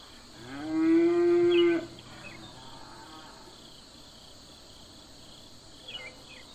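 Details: Domestic cow on a farm with a herd gives one loud, rich, harmonic moo lasting about a second and a half, then fainter short sounds follow, over a steady high chirring of insects throughout.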